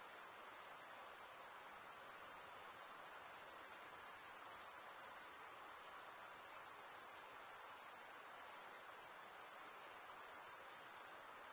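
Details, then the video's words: Chirping crickets, the males producing the sound by drawing one wing across the serrated vein of the other, keep up a steady high-pitched trill with slight swells in loudness and nothing else audible. "Most relaxing cricket sound for 8 hours"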